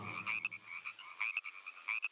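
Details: Male frog croaking, chiefly in the breeding season, to attract females and to show its territory; short bright chirping croaks repeated in clusters about every second, over a faint low rumble at the start.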